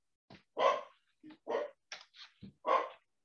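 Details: Corgi, the speaker's own dog, described as cranky, barking indoors in the background during an online talk: about six short, harsh bursts in quick irregular succession, some clipped and faint, with no other clear sounds.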